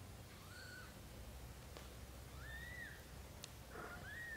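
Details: Young British Shorthair kittens in their first month, from a black golden litter: thin, high, arching cries, two or three faint mews rising and falling against a low steady background hum.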